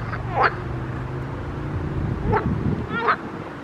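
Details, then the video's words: Pond frogs give three separate croaks, each a quick rising, slightly nasal sweep, with a soft low hum underneath and quiet gaps between calls. "grenouilles chantes croasses leurs mélodies des grenouilles dans un etand d'eau"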